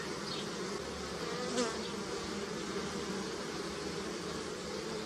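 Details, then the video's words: Bees collecting nectar on flowering willow in early spring in Europe: a steady, dense, low buzzing hum that runs unbroken throughout, with one brief faint chirp partway through. "Bees Buzzing Sound, Early Spring"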